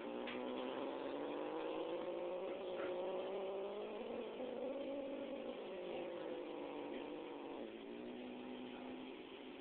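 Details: An angry domestic cat named Smidge, busy with a live mouse, holds a continuous low, moaning growl for about nine seconds, its pitch wavering gently up and down, against constant background hiss.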